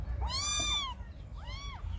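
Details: Cat or kitten meowing in a compilation: one long, clear, tonal meow that rises then falls, a brief pause, then a second shorter arched meow, with low background rumble.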